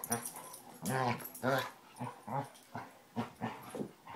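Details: Two Basset Hounds, Tracker and the new puppy Ranger, rough housing at play: a run of harmonic, growly vocal bursts about every half second, the loudest near the one-second mark, with faint room noise between.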